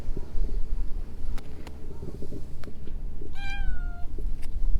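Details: Stray cat hidden in shrubbery gives a single clear meow, steady then gently falling in pitch and lasting under a second, near the end, over constant low outdoor rumble with a few sharp clicks.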